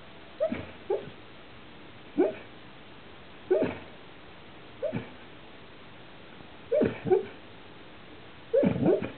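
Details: Dog making funny noises while dreaming in its sleep: soft, high whimpers and muffled yips in short separate bursts, about six across the stretch, some doubled, with quiet pauses between.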